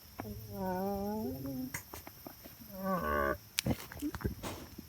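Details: Female goat voicing her opinion: two quavering, vibrato bleats, the first drawn out and wobbling, the second shorter, over a steady hiss with scattered clicks and knocks.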